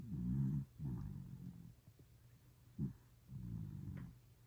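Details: Toy Poodle snoring while sleeping deeply: low, rumbling snore bursts, one long, a couple shorter, plus a brief snort, separated by quiet breaths.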